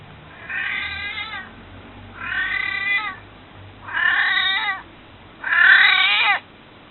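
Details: Domestic cat close to 22 years of age, recorded while alive, begging to be picked up: four long, wavering meows spaced about every one and a half seconds, each growing louder and more insistent, falling in pitch at the end.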